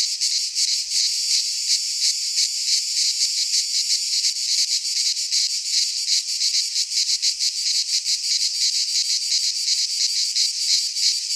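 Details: Cicadas singing in midsummer in a Greek pine forest: a dense, unbroken buzzing chorus, high and hissing, pulsing rapidly about three times a second with no other sounds.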